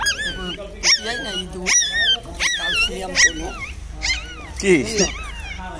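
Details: Newborn puppies, one day old, with their mother dog: wavering high whines and squeals come in uneven bursts, some bending upward, mixed with faint human voices in a quiet room.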